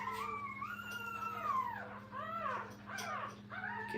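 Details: Young puppies lying with their mother at a kennel, fussing: a string of high, whiny whimpers that rise and fall, some drawn out and others short and overlapping, with a faint low steady hum underneath.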